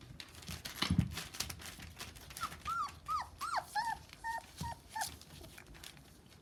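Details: Rough Collie puppies, 26 days old, whining in a series of about eight short tonal whimpers, each rising then dropping, packed into three seconds, with earlier bumps and soft knocking around them.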